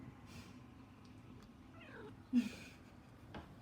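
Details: Pet cat chittering while watching birds: a brief, quiet stuttering run of descending notes, then a short sharp vocal burst, in an indoor room with low background hum.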